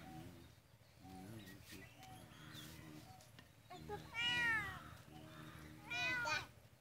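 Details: Two clear, bending meows from a cat near the end, rising then falling, over a steady low hum and faint background voices.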